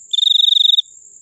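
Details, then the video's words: Cricket giving one sustained high, even trill of rapid pulses lasting about 0.7 seconds, with a fainter steady higher whine running underneath and continuing after the trill stops. "suara jangkrik paling merdu"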